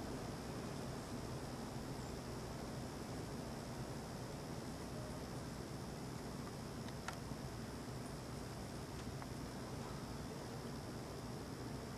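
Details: Only a steady low rumble of outdoor background noise is heard, with a couple of faint clicks and no animal voice.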